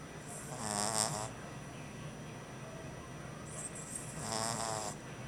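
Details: A French Bulldog puppy, exhausted on his first night home, snores in two long, rattling breaths about three seconds apart.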